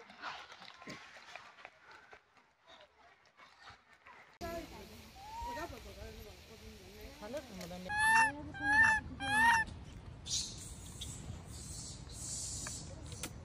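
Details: Abandoned infant macaque lying on the ground, left by its mother, crying: soft wavering cries build into three loud arched calls about half a second apart, followed by a hiss of rustling background noise.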